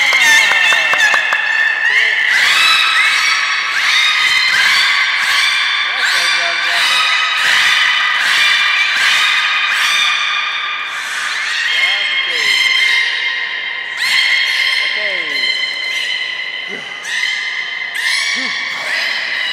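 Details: A morning at the beluga pool of Port of Nagoya Aquarium, 26 January 2020. Dense, overlapping whistled and nasal, voice-like calls sound continuously, some held, some warbling, with quick chirps and rising squeaks throughout.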